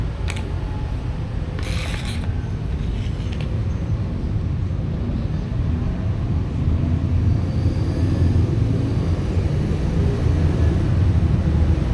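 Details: A steady low rumble of wind or passing traffic with a few brief scraping clicks is heard, and there is no animal sound.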